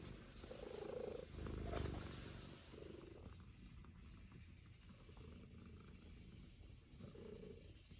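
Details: Luna, a Norwegian Forest Cat, kneads contentedly on a lap indoors, her throaty purring rising and fading in several waves beneath a rustle of movement early on.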